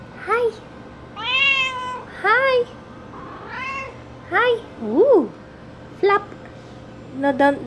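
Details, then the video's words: Female house cat named Bean meowing over and over indoors while heavy rain falls; a quick series of arched, rising-falling meows, some short and chirpy, others drawn out, close together, with a person talking to her. "Grumpy Bean Meowing at the Rain"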